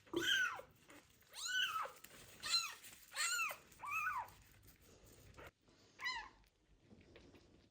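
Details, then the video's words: First bath for a street kitten found abandoned with ringworm: a loud, insistent run of six plaintive meows, each an arching wail, coming roughly one per second before a short pause. "First bath for a kitten found with ringworm that was abandoned on the street / meows loudly"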